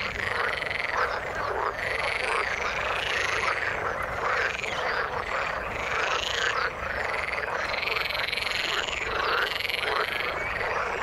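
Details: Frogs calling in the water: a dense, continuous chorus of overlapping croaks and trills, with many repeated upward-arching call notes layered together and no single caller standing out, steady loudness throughout.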